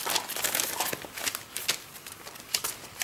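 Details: Crinkling and crumpling rustles with soft ticks in a small indoor room; no whines or other animal calls are heard.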